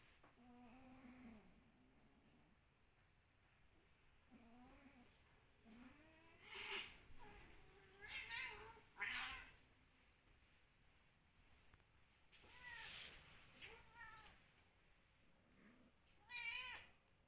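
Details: Cat uttering a series of meows, some short and rising, others louder and drawn out with strong upper harmonics, spaced a few seconds apart against a faint steady background hum.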